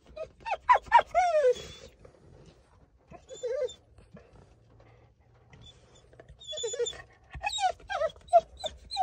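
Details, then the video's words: Chow Chow dog at the vet, which it hates, giving bursts of high, wavering whines and yelps that bend up then down, a quiet pause in the middle, then another rapid run of whimpers. "Chow Chow Dog HATES VET"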